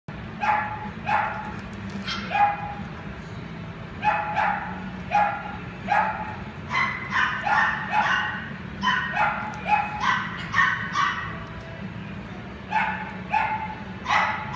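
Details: Dog in a pet shop barking repeatedly, sharp mid-pitched barks roughly every half second in uneven runs, over a steady low hum of background noise.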